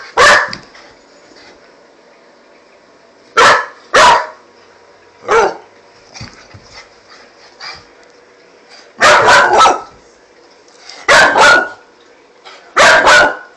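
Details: Pit Bull puppy, five months old, barking in bursts: single barks and quick doubles or triples separated by pauses of one to three seconds, loud and harsh, with quieter scuffling sounds between them.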